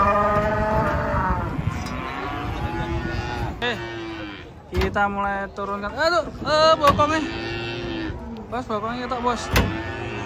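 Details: Morning arrival of giant cattle stepping off a truck: a sustained low moo opens, then a run of loud, bending bellows in the middle, amid clanks, voices and engine sound.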